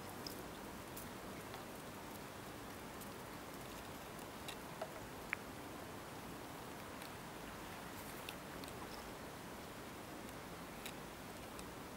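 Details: Faint steady rustling and small chewing-like ticks, with no animal voice heard.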